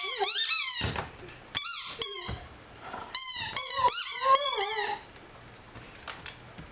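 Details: Rhodesian Ridgeback named Lyle howling and singing along with his favorite squeaky toy indoors; wavering high harmonic howls and sharp toy squeaks alternate in several bursts over about five seconds, then quiet.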